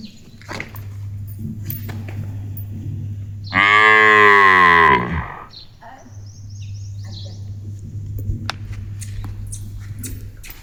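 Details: Ganga, a pet village cow, calls out as if talking to her owner: one loud, drawn-out moo of about a second and a half, rich and harmonic, rising then sliding down, over a steady low hum and faint background sounds.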